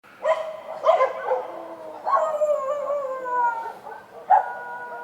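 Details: Dogs barking outdoors at night: several sharp, harmonic barks, each trailing into a drawn-out, slowly falling, howl-like tone. The voices overlap, with a final loud bark near the end and no other clear sounds.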